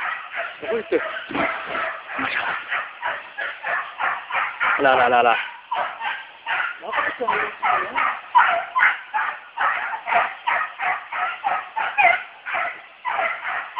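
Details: American Beagle of pure bloodline trailing wild boar, baying nonstop in rapid, clipped barks with a few drawn-out yelping notes near the middle, a dense unbroken run of hound voice.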